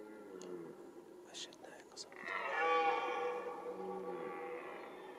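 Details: Red deer roaring in the rut, the mating season: soft whispered speech and clicks at first, then a loud harmonic roar rising in at about two seconds and holding for roughly two seconds before tapering off.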